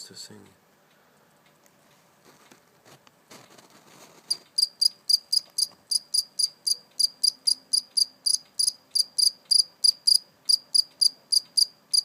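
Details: Captured live cricket, later released, chirping indoors: after four quiet seconds with faint handling noise, a steady run of sharp, high, ringing chirps repeats about four times per second to the end.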